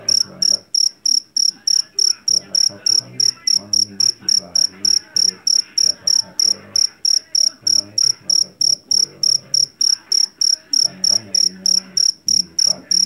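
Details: Steady trains of shrill, metallic chirps from a jangkrik jeliteng, a loud-voiced cricket caught in a Javanese rice field, come about three per second, accompanied by soft indistinct low background noise.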